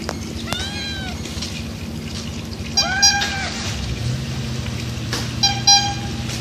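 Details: Hungry street cat asking for food, giving three loud harmonic meows spread across the stretch, each rising then falling, over steady traffic hum and low urban background noise.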